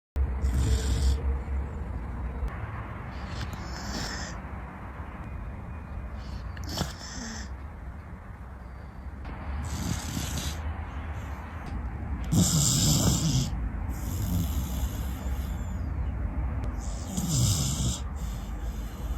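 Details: Corgi asleep with its head on a person's hand on a sofa during a midday nap, snoring heavily; rough, breathy snores with low rumbling, spaced every few seconds and swelling louder toward the end, in a quiet room.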